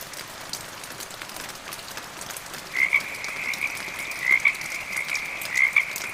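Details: Frogs calling with medium rain and gentle thunder, a steady high trilling chorus entering midway with short pulsed croaks repeating roughly every second over a rainy hiss.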